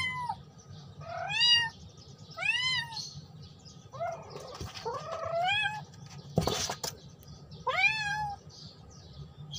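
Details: Domestic cat calling its friend, giving a series of arched, wavering meows roughly every second or two, one longer bending call midway, a brief sharp thump near the end, low steady hum beneath.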